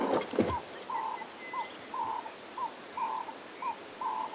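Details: Monkeys give alarm calls at Djuma Game Reserve, South Africa, on a morning safari drive on 23 March 2016: short, clear mid-pitched notes repeated about twice a second, with a brief burst of rustling noise at the start.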